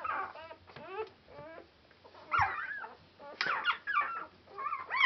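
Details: Border Collie puppies only four days old, Clannad Border Collies litter on Super Sunday 2012, whimper and squeal in uneven bursts, softer at first and louder later, over a low steady hum and small thumps.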